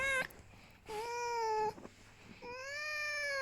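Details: Pet fox Vasilisa, rescued from a fur farm and living in a family home, lying down while being stroked indoors; three drawn-out, clear whining cries, each under a second, holding a steady, slightly rising pitch with rich overtones, separated by short pauses.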